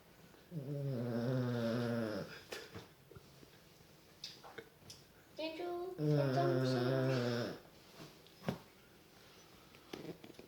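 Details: A fat pet dog sleeping indoors after Thanksgiving snores in two long, droning, slightly whistling breaths about five seconds apart, with faint room noise and small clicks between them.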